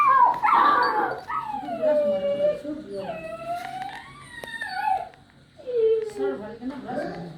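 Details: Poodle puppy yowling and crying in drawn-out, wavering howls that slide downward, several long wails separated by brief pauses, with a softer whine at the end.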